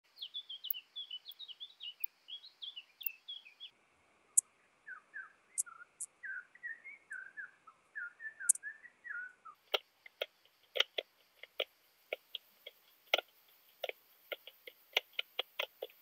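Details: Leptophyes laticauda, Southern speckled bush-cricket, recorded at Rebici, Croatia, on 12 July 2022 using an ultrasound detector: short rapid clusters of tiny ticking chirps, shifted lower partway through, then a run of sharp isolated clicks at irregular spacing.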